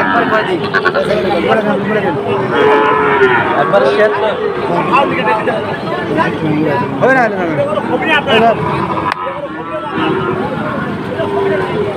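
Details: Sahiwal cattle, including bull calves, at the Ambari livestock market on 2 October, where a farmer from Sylhet buys stock. Several overlapping deep, drawn-out moos rise and fall among steady crowd chatter and market bustle.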